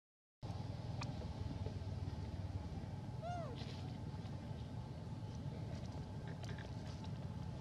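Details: Hybrid monkey Elpida, a female, asks for food with a single arched, tonal coo carrying bright harmonics, heard midway through over constant low-pitched background rumble.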